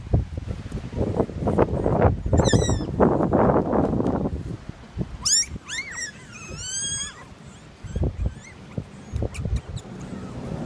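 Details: Toy Australian Shepherd puppies from a litter whimper in thin, high, wavering squeals, a cluster of rising and falling whines around the middle, over steady rustling and handling noise.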